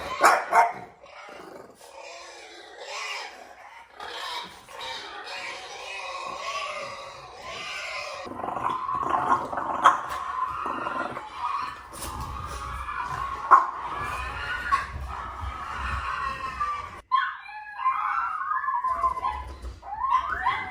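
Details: Pair of French Bulldogs reacting to strange sounds played to them, giving a long drawn-out mix of wavering moaning howls and throaty growling that rises and falls almost without pause for about twenty seconds.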